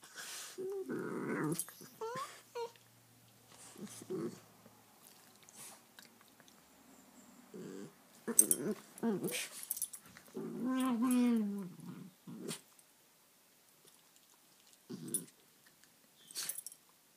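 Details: Two rescued terrier-mix pups, about two years old, play-fighting indoors: scattered low growls and snorts, a longer whiny growl near the middle, with quiet gaps and scuffling between bursts.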